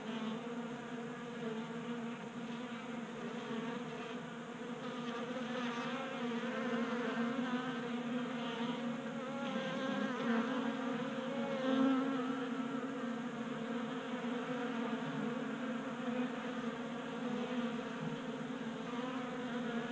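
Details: A crowd of honey bees feasting at a table-top bee feeder in a Colorado garage, January, about 60 degrees. A thick, unbroken humming buzz with rich overtones, individual bees' tones gliding up and down, slightly louder midway.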